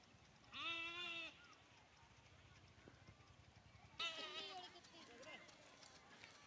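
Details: Lamb bleating against steady background hiss: one clear, wavering bleat early on, then a second rougher, broken bleat tangled with voice-like sounds, quieter and more distant overall.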